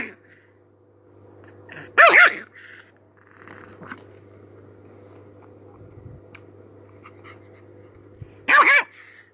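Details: Angry chihuahua giving two sharp, high yapping barks several seconds apart, separated by quiet stretches, over a steady low electrical hum indoors.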